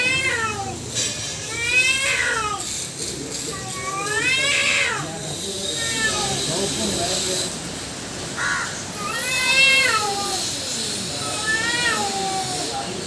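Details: Cats fighting: two females and one black male trade loud, wavering harmonic yowls that rise and fall in pitch, overlapping in long drawn-out wails with short breaks and a faint background hiss.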